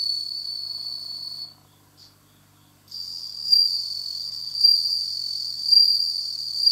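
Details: Bell cricket kept in captivity, starting to sing in autumn; high ringing trill breaks off for over a second of silence, then resumes with louder pulses about once a second.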